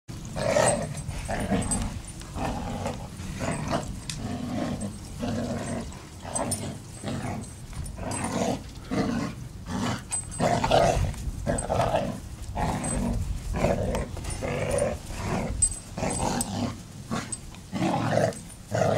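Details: Two black Labrador Retrievers playing tug of war with a home-made tug toy; continuous rough, low growling in quick pulsing bursts throughout, with scuffling and thumping noise.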